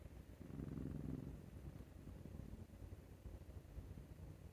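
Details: Maru, a male Scottish Fold cat born 22 May 2021, snoring like an old man while having his neck scratched; a single low, rough snore burst near the start, then quiet low rumbling room noise.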